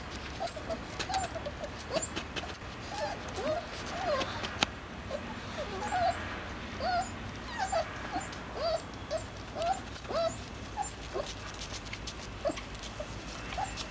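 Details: Three-week-old East European Shepherd puppies nursing from their mother, giving a steady stream of short, high squeaky whimpers and yips, many rising then falling, close together over soft rustling and shuffling.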